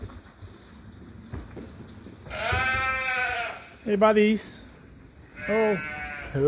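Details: Sheep at Ewetopia Farms awaiting their feed during daily chores: one long, wavering, harmonic bleat lasting about a second, followed by short bursts of human speech against a quiet farmyard background.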